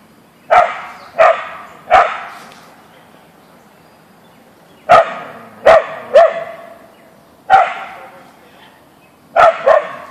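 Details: A Siberian Husky (Ausky) meeting a deer in a backyard barks loudly, giving nine sharp barks in uneven clusters of one to three over ten seconds, with quiet pauses between them.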